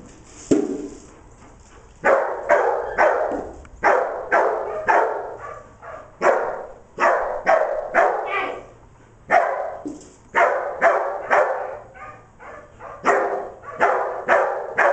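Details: Declan, a dog, barking while herding sheep, recorded 25 September 2011: bursts of sharp, loud barks, roughly two per second, separated by brief pauses, with the dog's voice filling the mid range.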